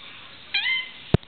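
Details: A domestic cat indoors, trying to shred new toilet paper. A single short, high meow, slightly falling in pitch, followed shortly by a sharp thump.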